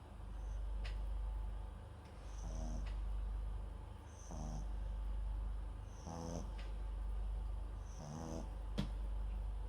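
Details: Papillon × Japanese Chin mix dog named MAX snoring while asleep, microphone set beside him; soft rasping snores with a faint breathy whistle recur about every two seconds, four clear breaths over a low steady hum.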